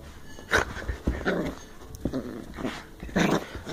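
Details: Bedlington Terrier puppy, ten weeks old, female, working strain, from South Wales, growling while playing: rough, breathy, noisy grumbles in short bursts about every half second to a second, with rustling of play in a small room.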